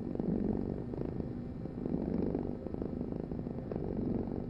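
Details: Cat purring steadily, a low rumbling vibration that swells and eases in soft cycles, with no other sounds.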